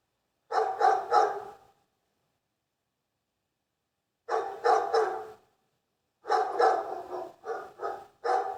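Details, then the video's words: Dogs barking in fast triplets of strong, raspy barks, then a long quiet gap before more bursts of rapid barking resume. "Лай собаки. Звук лающих собак. Dog's bark. The sound of barking dogs."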